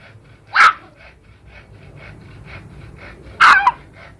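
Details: Yorkshire Terrier. Two brief, explosive sneezes from a Yorkshire Terrier burst out, each a quick puff of breath. A quiet room murmur fills the gap between them.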